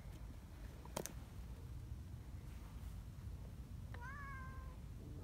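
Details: Friendly community cat among a group of affectionate cats leading the way along a mountain path to their gathering place on a cold morning; a single short meow with a rising then falling tone, over steady low rumbling background noise and a brief click.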